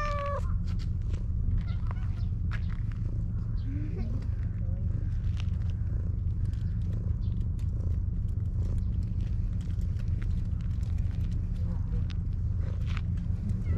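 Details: Stray cat in a park, meowing sweetly and seeking affection while being stroked; a couple of short tonal meows near the start and around four seconds, partly masked by a steady low rumble and scattered handling noises.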